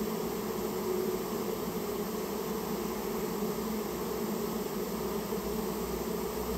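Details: Unbroken hum of a Japanese honey bee colony being cleared out of a storehouse where it had built its nest; many wings producing a thick, steady low buzz.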